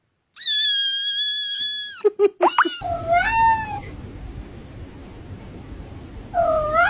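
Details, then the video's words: Domestic cat from a compilation of funny cat noises, giving drawn-out, high, steady whining tones, then a short falling meow, with a brief clatter between and a faint rising call at the end. "Top 10 funny cat noises"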